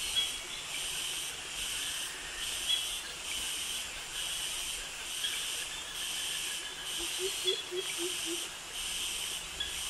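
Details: Cicadas singing in Thai jungle at Krabi, the high-pitched male mating call: a continuous sizzling hiss throbbing in regular waves, joined near the end by a quick string of soft low chirps and faint crickets.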